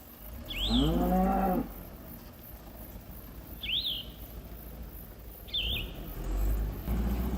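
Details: Cattle from a herd grazing in a green field, enjoying the grass: one long, low moo with stacked harmonics lasting about a second, while a small bird gives sharp chirps three times in the background.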